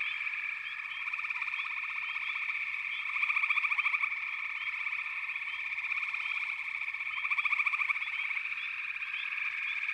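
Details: Steady frog chorus with a nearer caller repeating a pulsed rattling trill twice, about four seconds apart, amid continuous high buzzing and small chirps.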